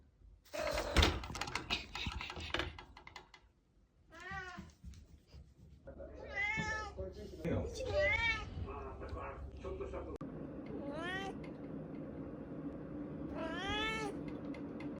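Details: A tabby-and-white domestic cat meowing several times: short rising-falling mews around 4 to 5 seconds, then a run of longer arched meows from 6 to 9 seconds and again near 11 and 14 seconds, with knocking and rustling early on and quiet human speech.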